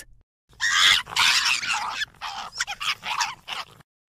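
A fox gives a run of harsh, raspy, hoarse bursts, loud and broken into short pulses.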